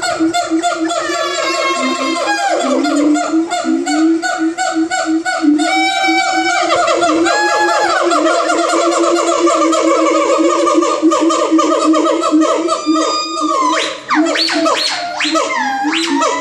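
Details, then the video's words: Siamangs call loudly together early in the morning, overlapping whooping, swooping hoots and honking barks. "Sound of Siamangs"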